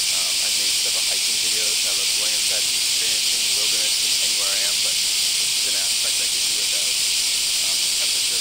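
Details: Cicadas in the Kansai area of Japan on a hot July morning, calling from early morning all day: a loud, unbroken, high hissing drone that fills the air and never pauses, with a man talking quietly underneath.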